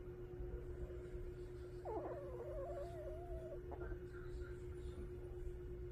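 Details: Jjangi the dog asleep, one whistling snore rising sharply then holding a thin wavering tone for under two seconds before fading, with a constant low hum in the room.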